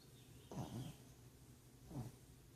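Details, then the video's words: Pug dog snoring out loud, two rasping low snorts about one and a half seconds apart against a quiet background. "Pug Snoring"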